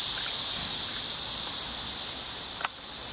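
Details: Cicada sound in a natural setting: a steady, unbroken high-pitched buzzing drone holds level throughout, with a single brief sharp click near the end and faint low rumble beneath.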